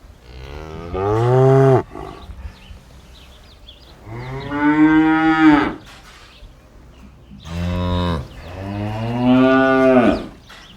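A cow gives several long, deep moos, each swelling and bending in pitch before trailing off.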